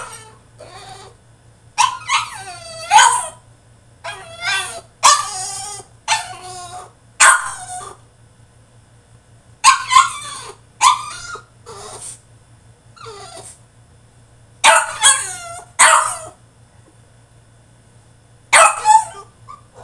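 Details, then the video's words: French Bulldog throwing a tantrum in his cage: a rapid run of loud, harsh yelping barks and strained whines in clustered bursts, with short quiet gaps between, over a steady low electrical hum. "FRENCH BULLDOG THROWS TANTRUM IN HIS CAGE!!"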